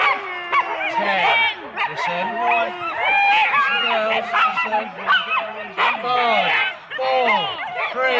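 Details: Husky sled teams of four dogs at the start in Rendlesham, January 2016; overlapping rising and falling yelps and whining cries from several dogs, with a low steady tone underneath.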